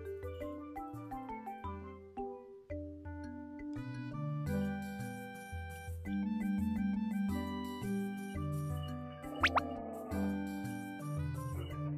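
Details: Playful glockenspiel and marimba melody over a steady bass line, with a few dripping plops near the end and no animal voices.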